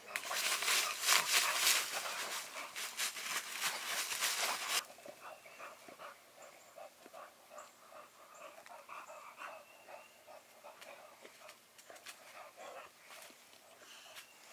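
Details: Old English Bulldog giving birth naturally at a kennel: loud, rapid, breathy panting bursts at about three per second for the first five seconds, then fading to quieter, irregular breathing noise.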